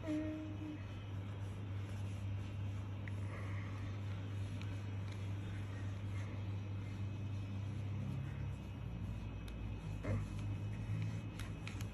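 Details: Steady low engine and road rumble fills the recording, with faint background voices and a few light knocks; no animal voice is heard.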